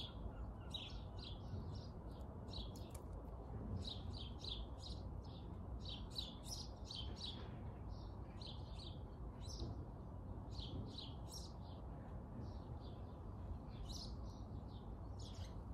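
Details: Long run of short, sharp chirps from Jimmy the squirrel, clustered in rapid bursts with brief pauses between groups, over persistent low-frequency background rumble.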